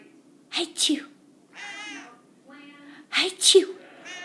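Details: A cat sneezes twice in short succession, two sharp doubled bursts of breathy noise about two and a half seconds apart, with tonal, voice-like sounds in the gap between them.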